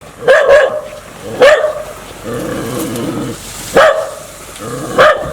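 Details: Dog described as aggressive and wanting to bite, giving four loud, sharp barks spaced irregularly across the clip, with a lower rough vocal rumble in the middle.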